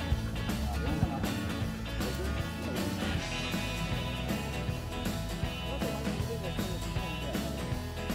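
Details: Rock-style guitar music plays throughout, with faint speech beneath and no animal sounds.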